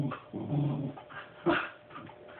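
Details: Puppy asking for a stuffed toy placed too high for him to reach: a low, rumbling growl-whine lasting about half a second, a pause, then one short sharp yip, with faint room noise.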